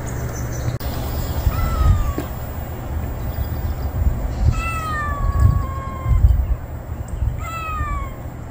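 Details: Unfamiliar male stray cat that has just turned up, meowing outdoors: three drawn-out, tonal meows, the first and last bending downward, the middle one long and level, over steady low traffic-like rumble.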